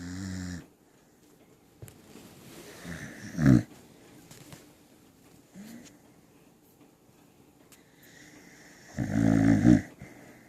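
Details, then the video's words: A Corgi snoring while asleep on a person's lap indoors; soft breathy snores with a few louder snorting bursts near the middle and end, quiet pauses between them. "the Corgi snores"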